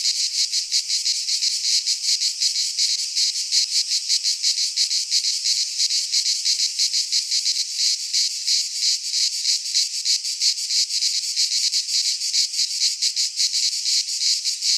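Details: Cicadas singing in midsummer in a Greek pine forest: a dense, harsh buzzing chorus that throbs steadily about three times per second, unbroken throughout, with no other animals or people heard.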